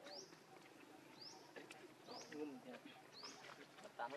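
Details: Baby monkey named Lucie, very hungry for milk, crying: high whistled cries that sweep sharply upward, about one each second, four in all, over lower rumbling background sounds.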